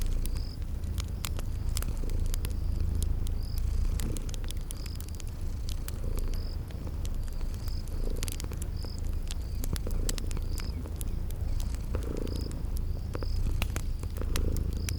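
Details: Sleeping cats purr by a crackling fireplace amid spring garden sounds; a deep rumbling purr swells every couple of seconds beneath regular high cricket-like chirps and sharp fire crackles.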